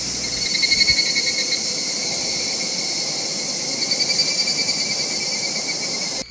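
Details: Higurashi cicada singing on Amami Ōshima: a continuous high, buzzy, rapidly pulsing drone with tonal bands stacked upward, swelling slightly near the start and again midway, then cutting off abruptly at the end.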